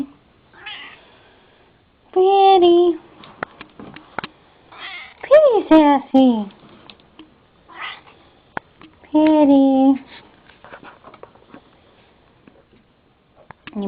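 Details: Female pet cat meowing indoors, three clear drawn-out meows, one steady and two sliding downward in pitch, with softer chirps between and a person speaking fondly to her nearby.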